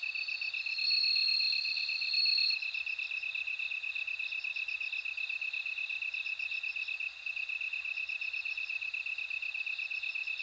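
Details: A bell cricket's high, bell-like trill rings loudly for the first two and a half seconds, then fades into a dense background of steady, pulsing insect chirring.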